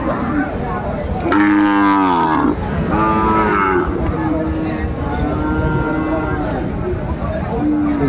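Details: At Aftabganj market on 4 May 2024, a Sahiwal bull calf, part of a pair traded to a Chittagong farmer, gives a loud, rich bellow, then a shorter second moo. Softer, lower lowing follows amid background chatter.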